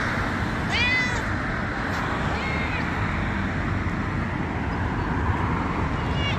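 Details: Injured cat in Dubai giving a few short, high, arching meows with stacked harmonics, spaced a second or more apart, over a steady loud low rumble of traffic or engine noise.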